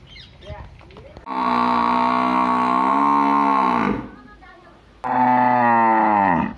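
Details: Two loud, sustained moos from a village cow, the first lasting nearly three seconds and the second about one and a half, both droning and richly layered and ending with a downward slide; soft background noise between calls.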